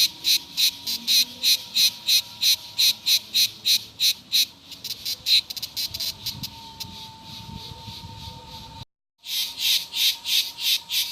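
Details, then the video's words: Fast, evenly spaced rasping pulses from cicadas, about three per second, weaken into a murmur. After a short silent break they resume loudly. A faint steady tone lies beneath. "O canto das cigarras"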